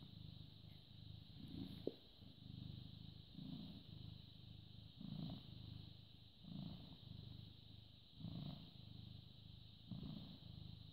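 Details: A British Shorthair cat, born 18 August 2010, purrs in the morning of 14 May 2017 at 09:16. Deep pulsing purr with louder inhale-exhale surges roughly every one and a half seconds, one sharp click, and a continuous background whine.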